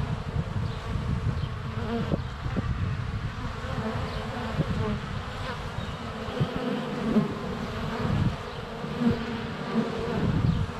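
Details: Hive entrance of honey bees on a sunny February day, filmed within a foot by a GoPro Hero 7 Black; steady low droning of bees in flight, with occasional knocks as bees touch the camera.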